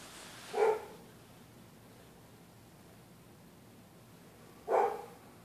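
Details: Neighbours' dogs barking at night at anyone using the public sidewalk: two single sharp barks about four seconds apart over a quiet, hissy background.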